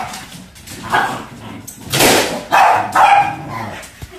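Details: Pembroke Welsh Corgis at play with a balloon: a run of short, harsh barks and yips, about four loud bursts in quick succession, with soft whining and rustling noise underneath.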